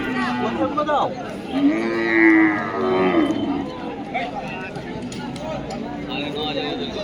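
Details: At the Dhaniakhali cattle market, which runs every Friday, a cow lets out one sustained, slightly rising moo early on, then the crowd's talk and other faint lowing carry on.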